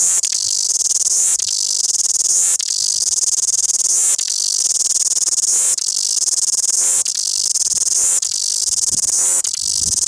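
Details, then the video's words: Loud cicada singing in Wellington: an intense, shrill, high buzz held almost without pause, broken by brief dips roughly every one and a half seconds, with faint low rumbles near the end. "Loud cicada Singing Wellington"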